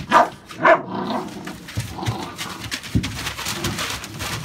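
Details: American Staffordshire Bully puppies born 11/16/2017, indoors: two sharp, high yelping barks in quick succession open the recording, followed by softer rustling and background noise in a small room.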